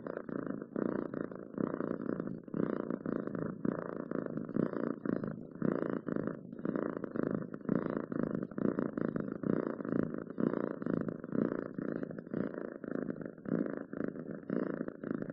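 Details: Cat purring loudly and continuously, a grainy low hum with rapid flutter, rising and falling gently with the animal's breathing; quiet indoor setting.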